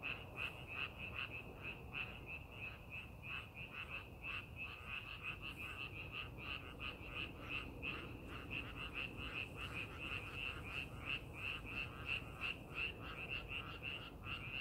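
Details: Rice-paddy frogs during farming preparation call in a lively chorus, bright clicking croaks tumbling at about three per second, some louder individual notes standing out above a low, steady rumble.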